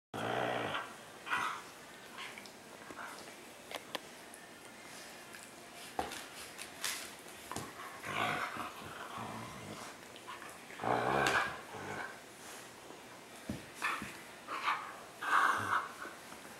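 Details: Laika, a Siberian Husky puppy, snuggling with Mishka indoors; grumbling growls and short bark-like bursts come in irregular clusters, with several louder outbursts near the end, and sharp clicks and thumps between them.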